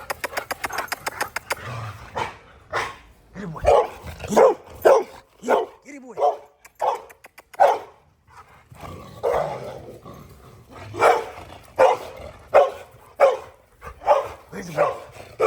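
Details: Angry dog confronting a dogo argentino, barking harshly again and again: a rapid flurry of sharp barks, then about twenty deep, rough barks spaced irregularly over fifteen seconds, with a man's voice calling in between.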